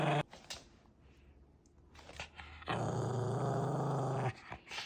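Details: Maltese dog showing its temper: after a brief low rumble at the start and a quiet stretch, one sustained, steady, throaty growl lasts about a second and a half.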